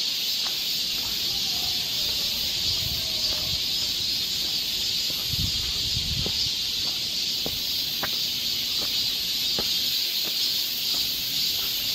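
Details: Cicadas singing in a summer forest along a trail in Seoul, Korea: a dense, unbroken high-pitched buzzing drone that holds steady for the whole stretch, with faint scattered clicks and ticks beneath it.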